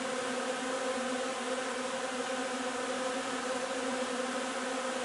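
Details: Steady collective drone of a honey bee hive during the linden nectar flow, 3 June; many bees buzz together in a smooth, unchanging hum.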